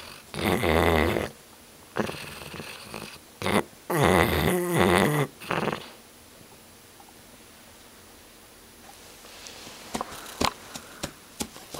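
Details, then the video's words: Loud snoring from Titus, a dog: two strong, vibrating, rattly snores about three seconds apart, followed by quieter breathing and a few sharp clicks. "titus snoring"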